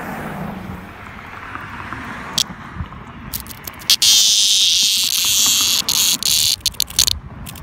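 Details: Cicada rescued and then released in 2021, buzzing up close: after a few quiet seconds a loud, harsh, high buzz erupts and runs in sputtering bursts split by brief gaps, over a low outdoor rumble like distant traffic.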